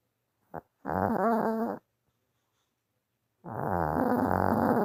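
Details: Tired pet dog asleep and snoring indoors, a brief snort followed by long, raspy, vibrating snores about a second or more each, separated by near silence.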